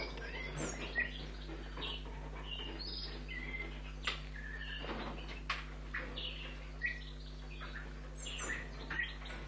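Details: Young red squirrel kit, a few weeks old, being hand-fed at a rescue station after being found nearly lifeless on a street; short high squeaky chirps, some rising, scattered irregularly over steady low electrical hum and soft handling noises.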